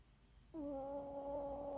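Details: Tired dog snoring; one steady, droning, tonal snore begins abruptly and holds a level humming pitch for over a second in a quiet room.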